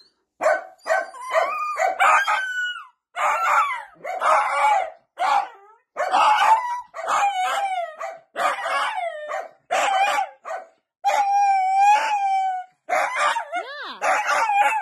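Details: Playful miniature dachshund giving a run of high, yelping barks and drawn-out, wavering howl-like whines, about ten separate bursts with short silent gaps across fifteen seconds, some notes sliding up and down in pitch.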